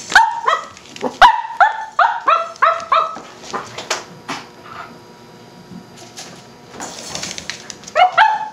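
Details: A Cavalier King Charles Spaniel puppy barking at a tuna can gives quick runs of high, sharp barks with short pauses between bursts.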